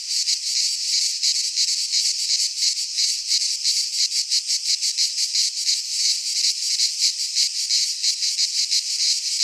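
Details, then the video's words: Midsummer cicada chorus from a pine forest in Greece, a loud high shrill drone broken into rapid rhythmic pulses, steady throughout without gaps or other animals. "Cicadas singing in midsummer - Nature sounds from the Greek fauna - Sounds of cicadas"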